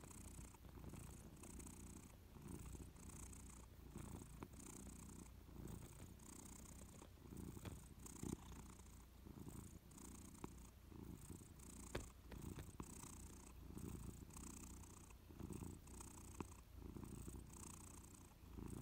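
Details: Louis, a Persian cat, purrs while drowsing on a warm sofa; deep, even rumbling pulses in regular breath cycles about a second apart, breathy hiss riding each cycle, a few faint ticks in the background.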